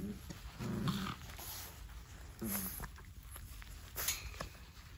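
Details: A Dogue de Bordeaux gives a few short, deep growling grumbles, each under a second, separated by pauses, with faint background noise.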